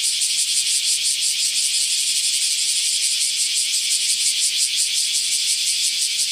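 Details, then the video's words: A cicada's intense, grating buzz, high and continuous, pulsing evenly around three times a second throughout. "som de cigarra"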